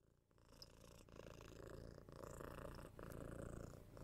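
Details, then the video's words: Six-month-old kitten purring while cuddled and given head scratches, picked up on a 3Dio binaural microphone; a quiet, low rumbling purr that slowly grows louder, with faint scratching and rustling above it. "Cat Purring"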